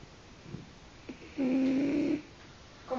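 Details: A single nasal snore from a French bulldog indoors: a steady, humming tone held for under a second amid soft room noise, with a faint breath at the end.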